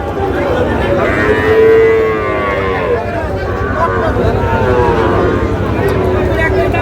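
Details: Sahiwal cattle at a busy cattle market near Pabna, where a Sahiwal calf is being sold: one loud, drawn-out moo peaks midway and fades, with more distant lowing, vehicles and chattering people behind.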